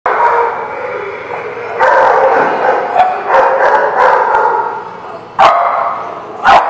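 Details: Dogs barking together in a lot on 8 May 2016, a dense overlapping chorus of barks and yips with louder sharp bursts near the end.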